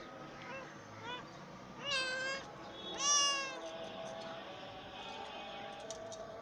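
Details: Little tiger cub calling with two short, mewing, harmonic cries about a second apart, the second louder, plus faint softer mews before them, over a steady low background hum.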